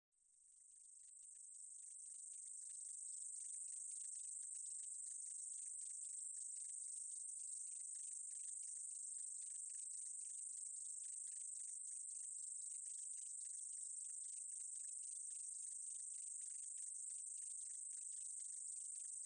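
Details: Short-winged meadow katydid song: a steady, very high, hissing buzz that fades in over the first three seconds, then holds, laced with rapid faint ticking pulses throughout. No other animals or voices.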